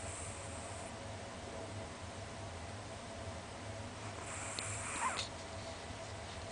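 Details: A pet Chihuahua only 20 cm tall, asleep with its tongue out and twitching slightly, gives hoarse snoring breaths: a hiss at the start and another around the four-to-five-second mark over a low constant background drone.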